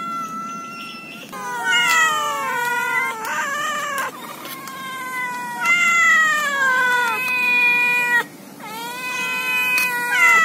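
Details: Domestic cats from a compilation of angry, happy and hungry meowing: long, drawn-out, wavering meows follow one another almost without pause. Each call rises and then sags in pitch, with a brief quieter break near the end.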